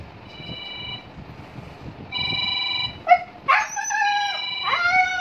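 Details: Siberian Husky at home starting to howl when a phone rings; two bursts of steady electronic ringing come first, then the dog breaks in with rising, wavering howls.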